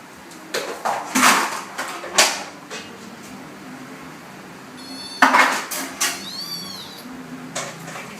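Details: Kitten playing together with its mother cat indoors; one short, high, arched meow that rises then falls near the end, set among loud clattering of dishes and knocking household sounds.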